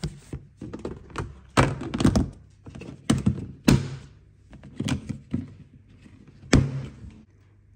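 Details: Irregular dull thuds and knocks indoors, like a door or objects bumping in a small room, with faint rustling between them and no animal voice.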